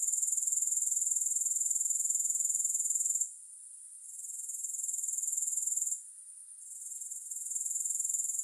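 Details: High, rapidly pulsed insect trill from grasshoppers, loud at first, then twice falling quieter for a few seconds before swelling back.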